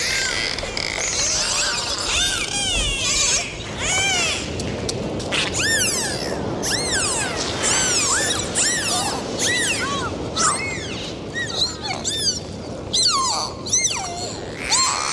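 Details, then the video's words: Dolphins recorded underwater during a dive: a dense chorus of overlapping whistles, many arching up then down or sweeping steeply, some in quick bursts, over steady water hiss. "Sound of Dolphins"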